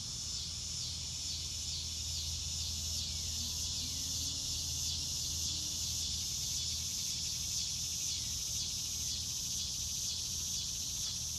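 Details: A chorus of crickets in real time on a blue-sky day: a loud, high, shrill trilling that pulses in steady beats about twice a second, with faint downward bird notes and a low background rumble.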